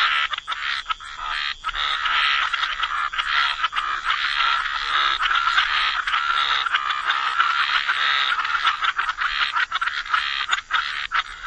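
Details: Gentle chorus of frogs by the waterside, a dense, unbroken layer of rasping croaks overlapping throughout, with only brief dips in loudness near the start and end.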